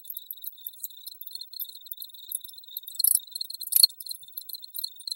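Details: Loud, shrill cricket chorus of rapid metallic pulses, with two stronger rasping bursts a little after the midpoint and a brief tap among them.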